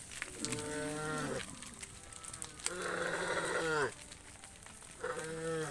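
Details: Tame cows returning to the farm pen at sunset: two long, low, steady moos, the second swelling and then dropping in pitch at its end, followed by the start of a third call, over faint rustling background noise.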